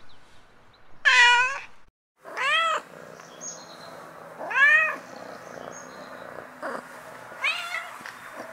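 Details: Cat in heat calling to attract a mate: several short, arching meows that rise then fall, spaced one to two seconds apart, some faint, over a steady low background hum and noise.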